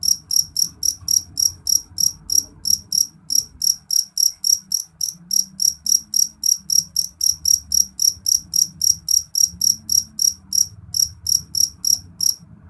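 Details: Loud, shrill call of a jeliteng cricket, a long unbroken series of bright, high chirps at roughly four per second, pausing briefly a few times, over a soft low background hum.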